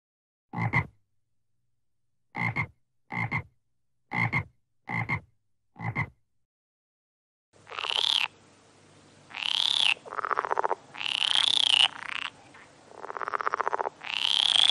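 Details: Six sharp, separate frog clicks spaced irregularly, then a change to loud, drawn-out, high nasal calls about a second long, several of them, some rising slightly in pitch.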